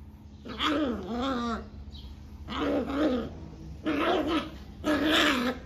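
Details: A 40-day-old Rottweiler puppy, acting aggressive after a bath, gives a series of high, wavering growls in short bursts.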